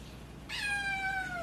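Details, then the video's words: Naru, a house cat that beat FIP and whose voice is changing, lets out one drawn-out meow, clear and rich in harmonics, that glides slowly downward, with a faint hum behind it. "변성기가 찾아온 고양이"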